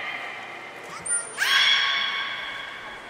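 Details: Captive belugas at Nagoya Port Aquarium in training, 10 February 2024. A brief thin high tone, then a sudden harmonic call that sweeps up and holds steady for over a second before fading, in a reverberant indoor space.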